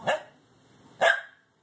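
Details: Six-month-old Corgi puppy, afraid of going down the stairs, while practising on them; two short sharp barks about one second apart, with an owner coaxing him on before and after.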